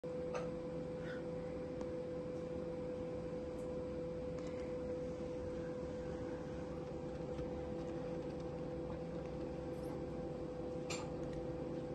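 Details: A steady mechanical hum with a few faint clicks, and no animal voice.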